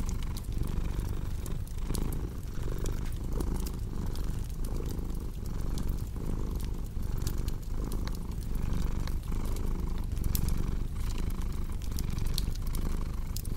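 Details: Continuous deep purr from a cat, pulsing in even breath cycles just under a second apart, with fireplace crackling scattered throughout as bright snaps.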